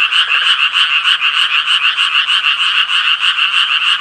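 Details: Japanese tree frog giving a fast run of harsh, nasal croaks, roughly fifteen evenly spaced pulses in four seconds, loud and close, with no other sounds.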